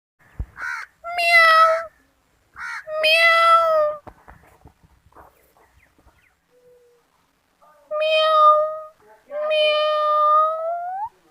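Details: Kittens meowing in four clear, drawn-out meows, two early and two later after a quiet gap with faint clicks and rustles, the last one sliding upward at its end.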